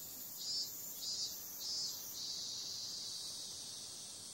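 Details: Night chorus of cicadas in summer, a continuous shrill buzzing that rises into louder pulsing surges about every half second early on, then settles into an even, unbroken drone, with a faint higher tone riding on top.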